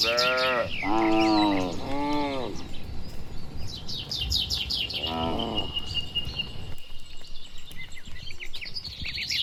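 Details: Dozens of tame, healthy cattle walking home to their shed along a village road on a warm evening, lowing back and forth: several drawn-out harmonic moos in the first three seconds and another near five seconds, with birds chirping high above.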